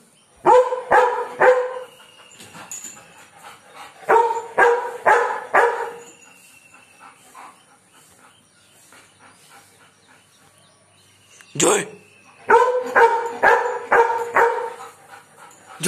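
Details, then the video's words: German Shepherd named Joy barking aggressively at birds; three bursts of sharp, loud barks about two per second, separated by quieter gaps, with a brief clatter near the end. "German Shepherd aggressive barking"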